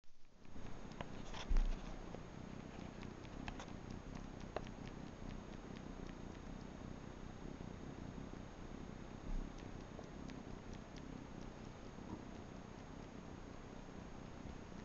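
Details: Manx kitten suckling on a bathrug indoors, giving a low, continuous, even purr throughout with faint scattered clicks and rustles.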